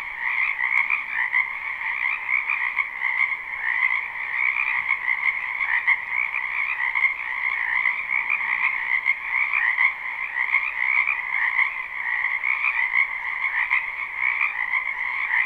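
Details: Frogs massed in a springtime wetland behind a house, recorded live without looping: a steady, thick chorus of trilling croaks holding two constant pitch bands, with gentle rises and dips in volume throughout.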